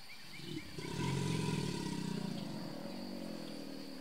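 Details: A single powerful, low growling bellow swells after half a second and rumbles on for about two seconds: a big male American alligator in Brazos Bend State Park, Texas, USA, responding to another gator as mating season opens; soft bird chirps early.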